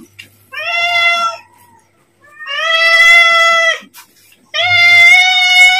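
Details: Domestic cat begging for food just before feeding time, giving three drawn-out, steady meows of about a second each, with short quiet gaps between them.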